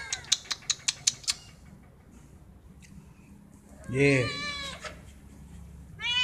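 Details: A domestic cat gives a single loud, wavering meow when it wants food or attention. A quick series of sharp clicks comes first, then quiet, and another meow starts at the end.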